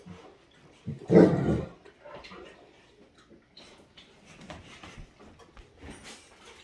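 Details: Great Dane Wächter, not wanting to share the water with another dog, Rhapsody: one short, loud, low rough growling bark about a second in, then quiet indoor room noise with soft rustles.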